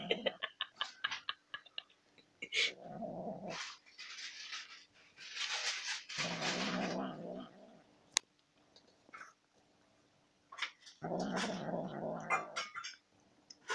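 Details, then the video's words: Domestic cat eating sour cream and making a strange sound: repeated low, rasping growl-like murmurs, each lasting one to two seconds, alternating with quick clicking and lapping noises and a steady faint hum. "Funny cat eat sour cream and making weird sound"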